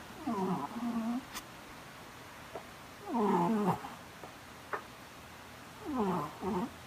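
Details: Loud snoring cat: three rough, buzzy nasal breaths with wavering tone, each under a second, roughly every two and a half seconds, with a few soft clicks and taps between them.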